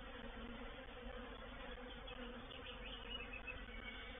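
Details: Many honey bees of a reproductive swarm entering a bait hive at Painted Peacock Manor on 04/07/21, a thick constant buzzing drone with faint higher whining notes drifting in near the end.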